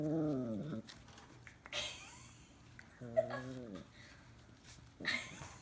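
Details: Two-month-old Scottish Terrier puppy meeting a tennis ball for the first time during play: two drawn-out, harmonic whining yowls, each bending downward in pitch, separated by scuffling, short noisy bursts and faint background music.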